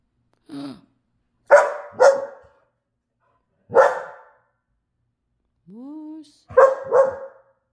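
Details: Barking pet dogs on a calm night: a short whine, a loud double bark, a single bark, a rising whine, then another double bark, spaced over several seconds.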